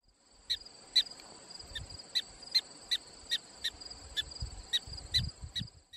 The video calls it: Prairie Dog Ejection Call